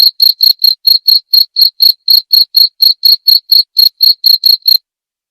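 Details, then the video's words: Rapid series of piercing high cricket chirps, about four each second, ending in silence for the final half second; described as a sleep-aid nature sound that drives away rats. "Suara Jangkrik ampuh mengusir tikus nakal"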